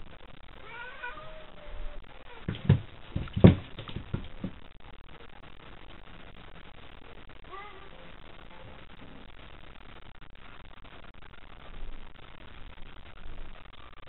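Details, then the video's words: Two cats fighting at night with tails puffed up, a third cat darting around them; drawn-out wavering yowls with harmonics early on, loud scuffling thumps around the middle, then a later rising moan over steady background hiss. "夜な夜な猫集会 しっぽぶわ～っ Cat fight"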